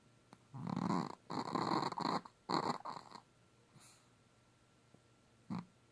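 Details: Hallie, a pet dog, snores in a run of four rasping, buzzy breaths about half a second to a second long, then a pause with a faint huff and one short final snort.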